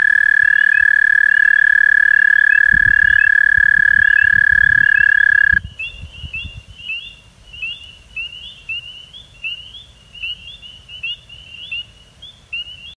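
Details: An American toad in Québec, Canada, recorded in 2022, gives a long, steady, high musical trill that holds one pitch without a break.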